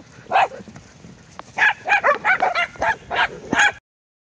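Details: Abruzzese mastiff up for adoption barking: one single bark, a pause, then a quick run of seven sharp, harmonic barks about three a second, ending abruptly; quiet background.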